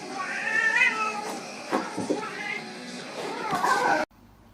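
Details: House cat meowing repeatedly in a drawn-out, wavering, harmonic cry, starting strong, pausing, then rising again near the end, with background music and some clatter running underneath until an abrupt cut.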